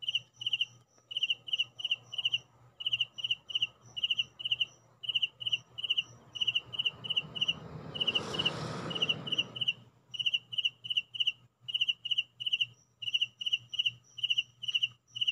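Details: Indoor cricket chirping in regular pulsed bursts of high, shrill notes, briefly overlaid by a rushing broadband noise near the middle, with a low hum throughout.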